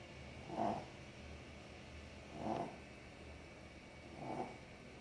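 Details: Sleeping dog snoring: three soft, breathy rasping snores about two seconds apart, each a brief swell of noisy sound over a faint steady background hum.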